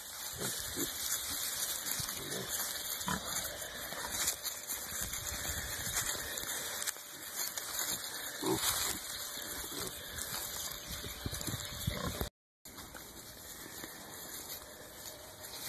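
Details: Hereford piglets rooting around in the dirt in early spring, giving soft irregular grunts and snuffles over steady high-pitched background noise, with a brief dropout near the end.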